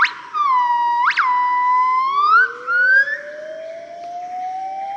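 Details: Family of yellow-cheeked gibbons in morning song, Cat Tien, Vietnam, 15 March 2013: steady whistles broken by a sharp upward spike, then rising glides, with a second, lower voice slowly climbing underneath.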